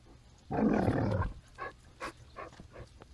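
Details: A one-year-old Basenji mix named Woody, living in a foster home, lets out a long rough howl-like cry followed by several short yelps; faint music underneath.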